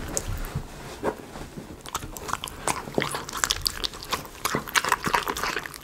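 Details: Indoors a Miniature Schnauzer chews chicken pot pie premium dog food, recorded close for ASMR; rapid crisp crunches and wet mastication clicks follow one another closely, the pace quickening in the second half.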